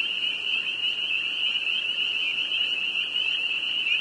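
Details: Spring peeper frogs from northern Vermont in a frenzied chorus, high repeated peeps fused into a continuous shrill ringing tone.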